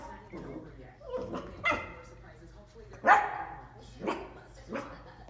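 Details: Barking at a bowl, a dachshund puppy gives a few spaced, emphatic barks, the loudest rising sharply, among overlapping human chatter.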